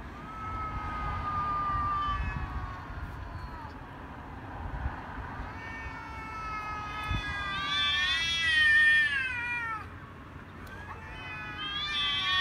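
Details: Ginger cat Billy and a grey cat in a vicious fight: long wavering yowls rise and fall through the first half, then a sharp escalating screech climbs steeply, breaks off, and a fresh rising wail starts at the end.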